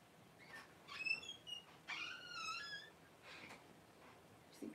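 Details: Newborn Cavalier King Charles Spaniel puppies, born indoors as their mother Paris whelps her first litter around January 1, give high-pitched harmonic squeals: brief thin cries, then a longer wavering wail that slides downward, in a quiet room.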